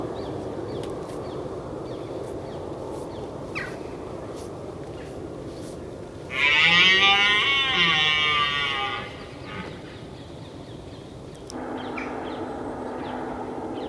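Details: A red deer roars at dawn in autumn in Richmond Park, one loud, drawn-out roar lasting about three seconds over a steady background hum.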